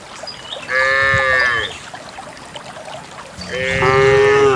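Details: Morning herd of cows going to a green valley through wet paths and wild grass; two higher-pitched, nasal moos about two seconds apart, with light bird calls and a steady ambient hiss.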